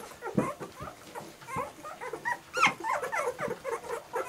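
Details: A litter of German Shorthaired Pointer puppies whimpering softly, with scattered short nasal whines and one louder rising yelp near the end over low background rustling.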